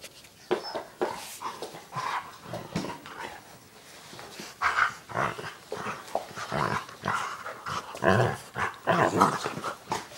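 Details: Labrador Retrievers Noelle, a white lab, and Owen, a black lab, play indoors with nine-week-old puppy Valour, a foster for a seeing eye dog foundation: rough rumbling growls and grunting bursts come in uneven clusters, with scuffling between them.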